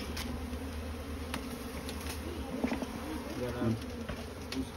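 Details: Small Asian honey bees (Apis cerana) swarming at their straw nest; even buzzing drone throughout, broken by a few clicks and brief human speech toward the end.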